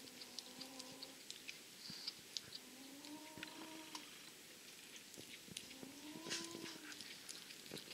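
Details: Abyssinian and Somali cats with kittens born 28 May and 18 June 2014, in everyday scenes of play, suckling and naps; three soft, drawn-out tonal mews, slightly rising then level, about three seconds apart, over light tapping and clicks in a quiet room.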